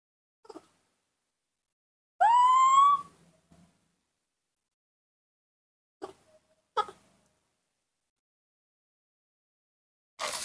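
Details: Nomi, a hand-reared baby monkey, calls while missing his mother: one loud, clear whistled note rising in pitch and lasting under a second, followed by faint clicks and handling noises in a quiet room.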